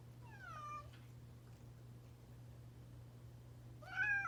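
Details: Pet cat that has taken to meowing often since its companion cat escaped; two drawn-out, wavering meows, the first falling in pitch, the second sharper and louder near the end, over a steady low hum.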